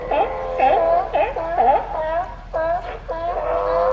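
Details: A raft of California sea lions (Zalophus californianus), apparently all males, bark in a group chorus, overlapping honking calls repeated about twice a second.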